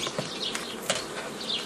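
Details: Honey bee hum, an even buzzing wash, as a beekeeper forms nucleus colonies from a forager swarm on 15 May 2018, with a couple of light taps from equipment.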